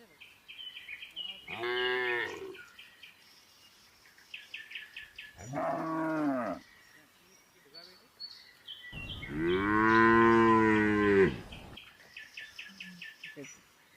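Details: Red village cow eating grass contentedly beside another cow; three long, full moos a few seconds apart, each swelling then fading, the last the loudest, with small birds chirping in the background.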